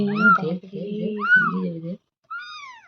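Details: Kitten mewing with high, arching cries, three clear meows over about three seconds, while a person talks loudly over the first two in a small indoor room.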